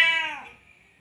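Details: Male cat calling a female in heat after mating; one short, loud, harmonic-rich meow that starts sharply and slides downward before fading.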